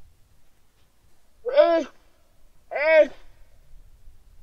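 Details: On Antarctic ice at Terre Adélie, a Weddell seal pup calls for its mother one calm sunny November afternoon in 2009: two rich, harmonic wails about a second apart, each bending upward then sliding down, over near silence.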